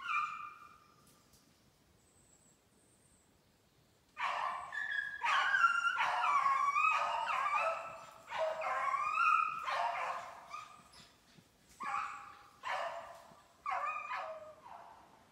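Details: Beagles from a kennel in Maine running snowshoe hare during summer conditioning on 14 July 2019; after a quiet start, loud harmonic bays and howls rise and fall in overlapping bursts, some drawn out, others short and choppy, with pauses between runs near the end.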